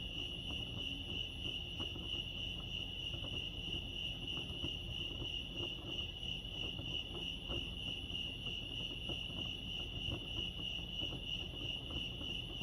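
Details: Many crickets chirping near Lake Arrowhead, California blend into a steady high-pitched pulsing drone, with scattered faint ticks and a continuous low rumble below.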